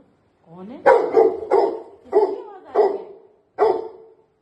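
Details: Pet Labrador Retrievers greeting their owner back from a three-day trip away, giving a rapid run of six loud barks, the first preceded by a rising whine, in quick succession.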